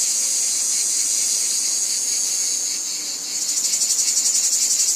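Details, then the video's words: Cicadas in a wheat field: a smooth high-pitched whine for about three seconds, briefly dipping, then breaking into rapid rhythmic pulsing buzz. "Cicadas Ambience | Wheat Field Cicadas Background Noise"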